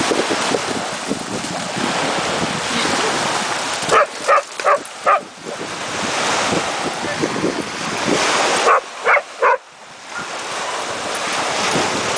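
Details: Cane Corso (Italian Mastiff) puppy named Liana at a dog beach, giving two bursts of three short, sharp barks near four and nine seconds, over steady crashing surf and wind.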